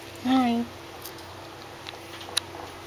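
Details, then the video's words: Newborn Shih Tzu Pomeranian crossbreed puppy, hungry and nursing, gives a single short squeaky whine that holds steady then dips slightly, lasting about a third of a second, over quiet indoor room noise. "my hungry puppies"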